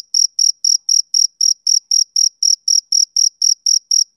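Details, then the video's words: Male cricket on a summer evening, chirping in a steady rhythm: short, high, pure pulses about four times a second, evenly spaced, with no other sounds. "Cricket Chirping Sound Effect"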